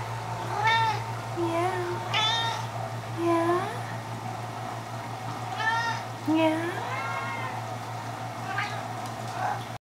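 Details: House cat singing to her sock: a string of about eight short, varied meows and chirps, some rising, some falling, spaced irregularly over ten seconds, with a woman's voice speaking softly between them and a constant background hum.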